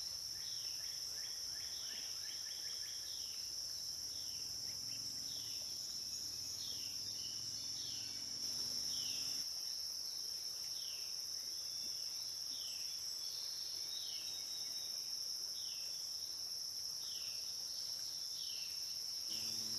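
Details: Insect drone from the Licking River in Morning View, recorded between dusk and dawn: a constant piercing high whine fills the clip, overlaid by many brief downward-sweeping chirps and a faint low rumble early on.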